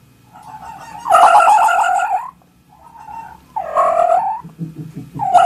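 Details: A fox cries repeatedly: a long wavering, nasal wail, then a softer short note, then another quavering cry, with a fourth beginning at the end. A faint low hum lies underneath.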